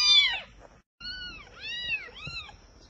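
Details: Rescued kitten from a deserted place: a sharp, high meow, a short pause, then three rapid arching mews in quick succession, clear and close.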